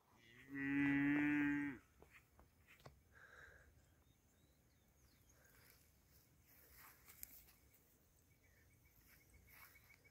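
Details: A high-quality heifer gives a single loud, harmonic-rich moo lasting about one second near the start, then quiet farm ambience with faint clicks and distant noises.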